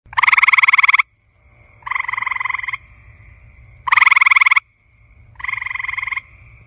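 A frog gives rapid pulsed, rattling croaks in bursts of about a second, answered by a softer caller.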